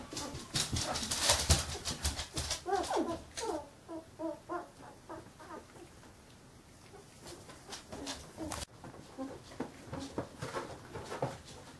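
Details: Squeaky little calls from fifteen-day-old Carolina Dog puppies, a quick run of short rising and falling yips in the first half amid clicking and scraping noises, with softer scattered whimpers later.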